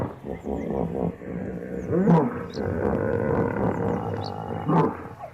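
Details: Hippopotamus bellowing: deep, harmonic, rumbling bursts rising and falling over several seconds, strongest around two and near five seconds, with faint high bird chirps in the background.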